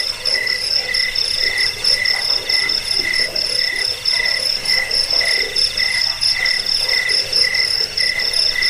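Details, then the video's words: A chorus of crickets offered for driving away rats, helping sleep and training birds. Rapid pulsed chirping overlaps a constant high shrill ringing, many insects calling at once, nothing else heard. "Suara jangkik pengusir tikus pengantar tidur"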